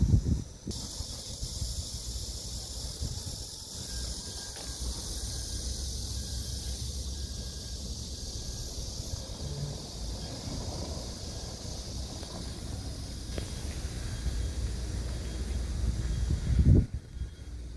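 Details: Cicadas shrilling around an old tree among date-plum, morning glory, pumpkin leaves and chili plants; a steady high hiss-like drone runs unbroken throughout, over low rumbling wind or traffic noise and a brief knock near the end.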